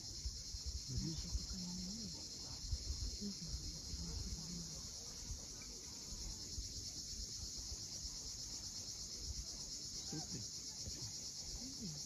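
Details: Evening cicadas on a steep Crimean cliffside at Cape Fiolent, an unchanging bright, grainy buzz that never pauses. A faint low hum of waves and a few soft low notes sound underneath.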